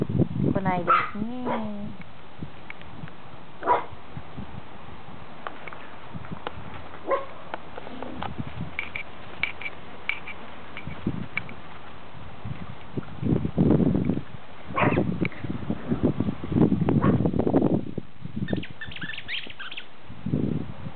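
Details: Puppies: a burst of high, wavering whines and squeaky yelps in the first two seconds, then scattered short yips amid steady rustling and handling noise, with faint human voices in the background.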